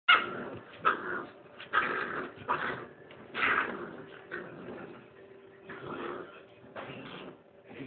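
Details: A male Rottweiler puppy about 8 weeks old growls in rough, grumbling bursts with small yips, protecting his hole in the couch from a person.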